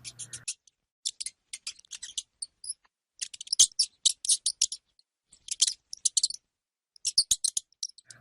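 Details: Hamster giving bursts of rapid, high, clicking squeaks in short clusters separated by brief silences, with a faint low hum at the very start and end.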